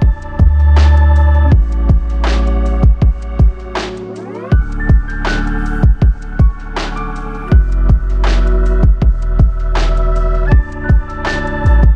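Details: Loud electronic music with heavy bass and regular pounding beats plays throughout, and no animal sound can be picked out.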